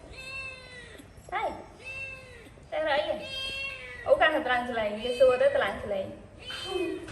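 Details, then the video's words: Domestic cat screaming with loud, drawn-out meows. Three arched wails, each rising then falling, come in the first three seconds. After that, people's voices talk over further cat cries, and the room sounds small and indoor. "Cat is very good at screaming"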